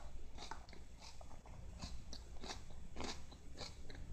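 A Siamese cat crunches and chews lettuce in short, crisp bites indoors.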